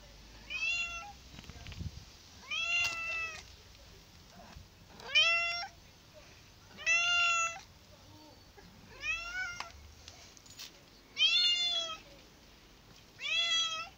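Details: Several cats meowing indoors, clear harmonic meows that rise then fall, about seven calls spaced roughly two seconds apart over a quiet room background.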